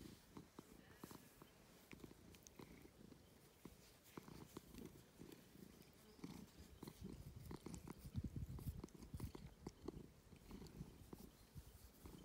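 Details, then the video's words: Domestic cat purring while enjoying attention: a quiet, steady, low rumbling purr with rapid pulses, recorded up close. "A purring cat is sometimes the best most cozy thing"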